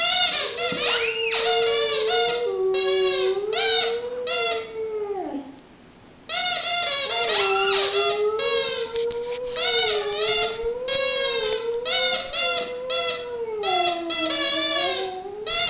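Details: Boxer dog Mattie, aged four, howls her own Frosty the Snowman: long sustained, wavering tones that rise and fall in a sing-song line, one brief pause midway, then continuous crooning to the end.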